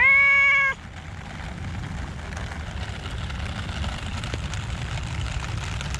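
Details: Rainy park with cats: one strong, level meow lasting under a second at the start, followed by continuous rain hiss and low rumble.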